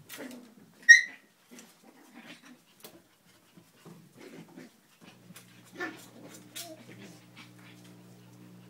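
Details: Cleo's puppies playing on a kennel deck: one sharp, high, ringing yip near the first second, then quiet scattered scuffles and soft small sounds, with a faint steady low hum creeping in at the end.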